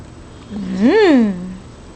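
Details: Female Boxer puppy, prompted indoors to say thank you after a treat, gives one drawn-out vocal sound that rises then falls over about a second, tonal with rich overtones; owner's voice speaks before and after.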